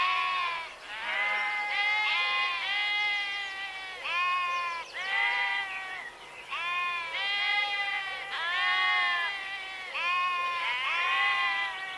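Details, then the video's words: A flock of sheep bleats almost continuously, with many quavering, harmonic-rich calls overlapping and following each other every second or so, some rising and some falling at the ends. "Sheep Sound Effect | Suara Domba"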